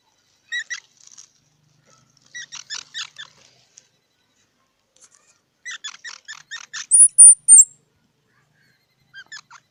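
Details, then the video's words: Squirrel making scattered groups of short, buzzy squeaks separated by silence, with one clustered run followed by two loud, very high whistled notes. "សំលេងដង្ហែន Squirrel 🐿️ Sound"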